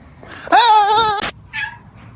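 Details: Domestic cat from a funny cats compilation giving one loud, drawn-out meow, steady with a slight waver, followed by a short click and a fainter, shorter meow. Low indoor background hum.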